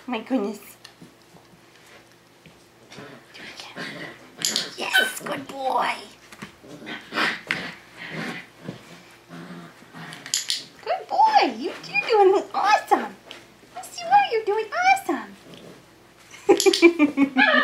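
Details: Five-week-old Tamaskan Dog puppies playing the Puppy Culture box game indoors: bursts of high, wavering whines and short yelps, clustered mid-clip and again near the end, over a person's encouraging talk and praise.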